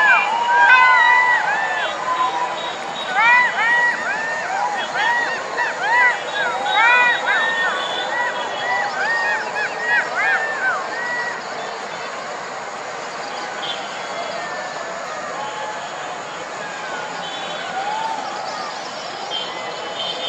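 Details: Night chorus of golden jackals: a burst of many quick arched yips and wails crowding the first ten seconds, then thinning into a few long, steady, fading howls over a steady hiss.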